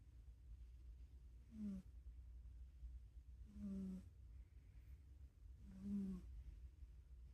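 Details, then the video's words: Two pet cats snoring while asleep, their purring likened to firecrackers; three soft, nasal snore breaths with a faint tonal hum, each under half a second, spaced about two seconds apart, over a steady low room rumble. "purring like firecrackers"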